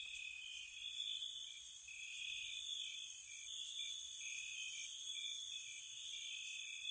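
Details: Spring cottage night with crickets: steady high-pitched buzzing trill and recurring bright chirp bursts spaced a second or more apart, overlapping insect voices, quiet low hum underneath.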